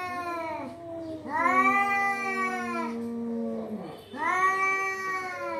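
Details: Cat caterwauling in long, wavering yowls, each stretched over one to two seconds with a bend in pitch, three in quick succession with brief gaps, clear and close against a quiet room.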